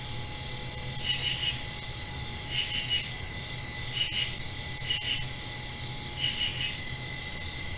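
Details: Crickets chirping at night right after rain: clusters of rapid pulsed chirps, about six bursts, ride over a steady high-pitched insect drone and a faint low hum.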